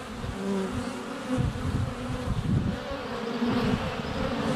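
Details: Swarm of honey bees in flight at the hive entrance on a sunny February day, GoPro under a foot away: steady low buzzing with overlapping tones and soft knocks from bees touching the camera.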